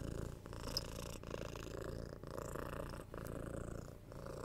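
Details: Pet domestic cat purring, recorded ear to ear at home for relaxing ASMR; a steady low rumbling drone broken by brief breath gaps about once every second, with faint rustles and no talking.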